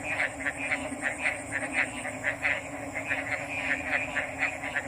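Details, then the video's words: Frogs give distinct short, bright notes about three or four times a second, some louder and nearer than others. A constant high hiss and a low hum fill the background. "RELAXING ORIGINAL FROG'S SOUNDS"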